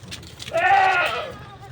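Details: Goat among a small herd taken out to graze on land beside a farmed plot, the little kids following their mother; one wavering, nasal bleat lasting about a second, with a brief human voice before it and a low engine hum underneath.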